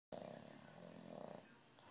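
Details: A sleeping little puppy snoring like a grown man: a steady rasping, buzzy drone of an in-breath, with a slight rise in strength near the end.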